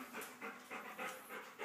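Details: Dog panting while a big dog and a little dog play rough together; quick breathy pants pulse about four times a second, steady and even for the whole short stretch, with no other clear sounds.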